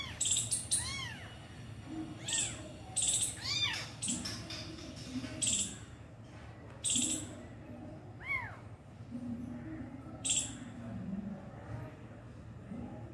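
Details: Abandoned kitten with its injured mother cat as the mother finally feeds it: high, arched meows come in short pairs and singles, spaced a few seconds apart, among sharp clicking knocks and low murmuring voices.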